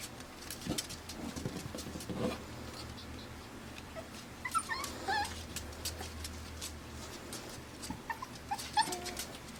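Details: AKC Pembroke Welsh Corgi puppies, five weeks old, born June 20, 2026 in Arkansas, resting on a deck; soft, brief high whimpers and squeaks rise mid-recording and again near the end over scattered tapping and a low steady room hum.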